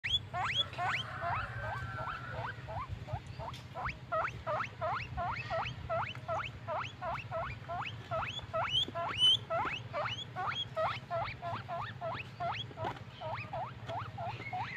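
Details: Pet guinea pig giving happy squeaks: rapid series of rising, upswept wheeks, roughly three per second, some with a hooked high tip, over a steady low hum throughout.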